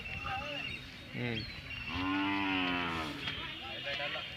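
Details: Hallikar cattle at the Magadi cattle fair 2025, Ramanagara district: a short low grunt, then a sustained rich moo lasting over a second, amid busy fair chatter.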